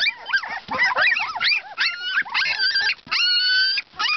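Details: Siberian Husky pups at two weeks old squeal and whine loudly, with bent, wavering cries followed by long steady high whines that hold their pitch for about half a second.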